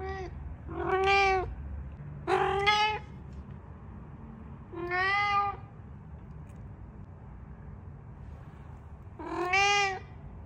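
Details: Pet cat asking to go out and play in the yard: four clear, tonal meows, two close together early on, then one near the middle and a last rising-and-falling meow after a long pause, with a quiet room hum beneath.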